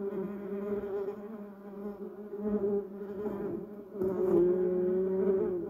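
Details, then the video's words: Garden bumblebees working yellow cassia and Duranta erecta blossoms: a low buzzing drone that softens in the middle, then grows louder and slightly higher after four seconds as a bee comes near. "Buzz Bumble Bees Sound Effect"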